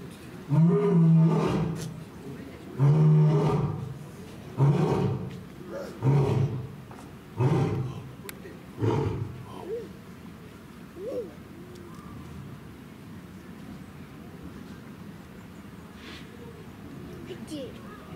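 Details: At Asahiyama Zoo, Hokkaido, a male lion born in 2017 roars from a rock in his paddock, September 2023. A long sequence of about seven deep roars that grow shorter and weaker, ending in faint grunts, with zoo background murmur.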